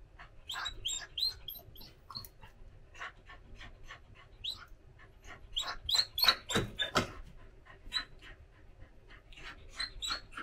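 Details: Daifuku, a female Samoyed born 17 December 2021, in the morning, seeking her owner's attention and following her around; short high squeaky whines and yips come in quick irregular bursts, with a louder cluster midway and faint low indoor hum beneath.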